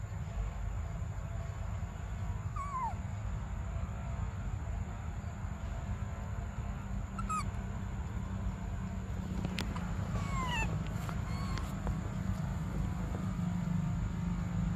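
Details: Baby monkey Briar crying for milk: several short, tonal wails that slide downward, scattered across the stretch, some with stacked overtones, over a steady low rumble of background noise.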